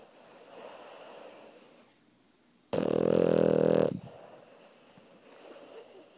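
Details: Krypto, a puppy, asleep and snoring while lying on top of a person: one loud, buzzy, rattling snore of about a second rises out of quiet, soft breathing, with faint breaths before and after.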